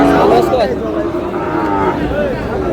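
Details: Sahiwal bull calf at a Chattogram cattle market before Qurbani gives short, wavering lowing calls amid busy market talk and background chatter.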